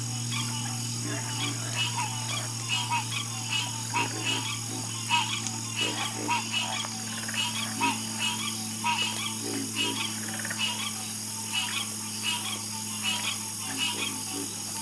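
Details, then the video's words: Frog chorus croaking at night, many calls overlapping in a dense pulsing rhythm of short bursts, with steady high insect buzzing above and a low constant hum beneath. "Sleep Like A Baby With The Calming Sound Of Harmonious Frog Croaking"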